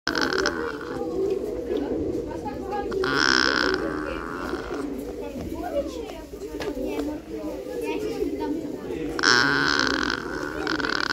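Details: Nutria exchanging calls in a back-and-forth dialogue: drawn-out, wavering moans rising in bursts over a dense murmuring background of grunting and chatter, with two strong moaning phrases about six seconds apart.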